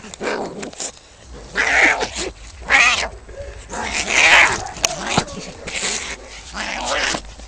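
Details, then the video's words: Two male cats fighting over territory outside a home give raspy, noisy yowls and hisses in irregular bursts roughly every second, over steady low background hum. "Two cats fighting and making wierd noises"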